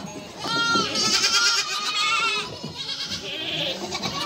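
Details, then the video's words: Mother goat and kids calling: overlapping wavering bleats, one long quavering cry after half a second, then a steadier held bleat from mid-clip, with a higher thin voice trailing at the end. "Anne keçi sesi yavru oglak sesleri"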